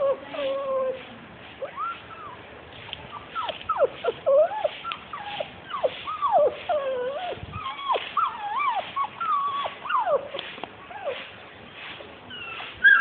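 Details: Forty-two-day-old Labrador retriever puppies whining together, a dense chorus of short rising and falling squeals and yelps overlapping continuously for the whole stretch, with a brief human voice calling.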